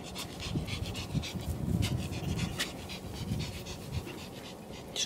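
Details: Pomeranian from the Elenhouse kennel in Kyiv, panting in quick soft breathy bursts, steady rhythmic huffing with a low hum in the background and no voices over it.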